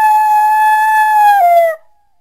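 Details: A single coyote gives one clear, sustained howl at a steady high pitch. The note wavers slightly and drops in a short downward slide at the end before breaking off into silence.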